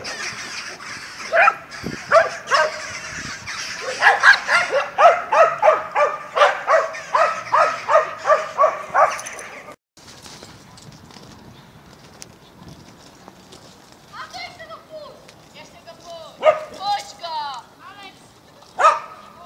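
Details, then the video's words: Dogs recorded in Mazovia, Poland, 2021. A rapid run of barks and yaps fills the first ten seconds, then a quieter stretch with a few scattered, bending yelps and barks. "Szczekające psy"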